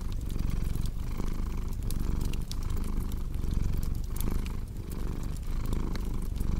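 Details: Relaxing cat purr: a dense, low vibrating rumble broken by short breath pauses about every 0.8 seconds, with fireplace crackles and pops layered on top.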